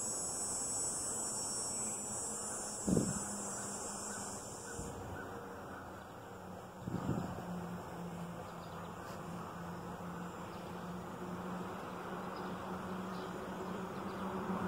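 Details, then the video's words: Backyard cicadas give a continuous high, hissing buzz that runs for about five seconds, then cuts off. A few dull knocks follow, with low background rumble. "Cicadas in my backyard"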